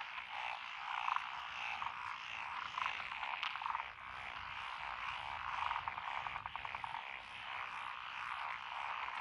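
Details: Many frogs calling in lotus paddies along a rural road, Echizen, Fukui Prefecture, Japan, June 2021; tree frogs, pond frogs and wrinkled frogs form a continuous buzzing chorus, with short rapid croak bursts rising above it now and then.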